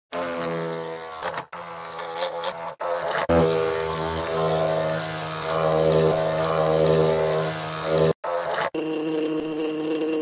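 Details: Wasp buzzing, possibly near a nest or inside a jar: a steady droning hum with a low, rich tone that swells and fades. It is broken by several abrupt silent cuts.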